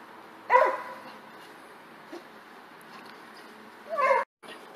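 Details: Pet dog in a humorous jumping clip; two short, harsh barks about three and a half seconds apart over a quiet room background.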